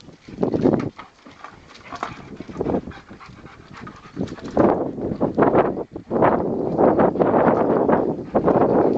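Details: Rottweiler playing with a tyre, its favourite toy, making rough, noisy growl-like bursts in an irregular series, louder and denser toward the end.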